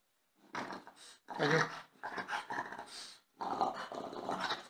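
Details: French Bulldog indoors, jealous and demanding attention, giving four rough, throaty grumbling bursts that rise and fall over a few seconds, separated by brief pauses.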